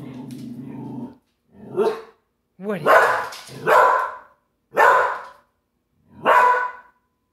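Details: Border Collie throwing a tantrum to demand playtime: a short human voice opens, then five loud, harsh yelping barks about a second apart, some with whiny rising onsets.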